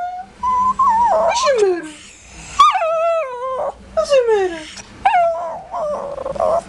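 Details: Shih Tzu kept as a pet grumbling about bath time: long whining moans that start steady, then sweep downward, repeated in four or five distinct bursts, with a low growly edge in places.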